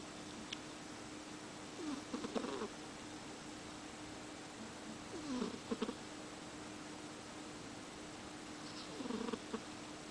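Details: Tired pet cat sleeping with its tongue out after catch practice. Faint wheezy snores, each a short falling squeak with a breathy rasp, recur roughly every three to four seconds over a constant background hum.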